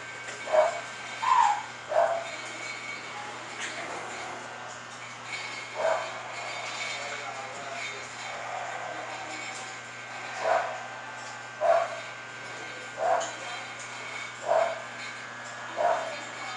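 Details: Short, mid-pitched barks from an English Bulldog at a Florida kennel where Salma, Thalia and Cristobal are named, repeated irregularly every one to four seconds across the recording, with a constant mechanical hum and faint voices behind.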